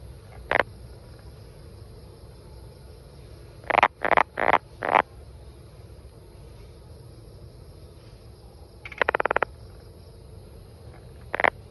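A brown banana frog gives short, sharp clucking notes, some in quick bursts of three or four.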